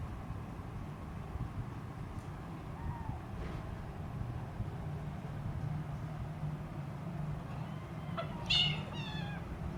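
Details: A hungry three-week-old Siamese kitten teasing her mother cat gives a high, thin, rising mew over a steady low hum.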